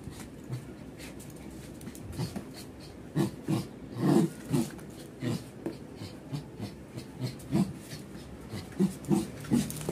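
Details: Indian Spitz dog panting in short rhythmic bursts, breathy huffs clustered low and repeating roughly every half second, with a few quieter gaps between runs.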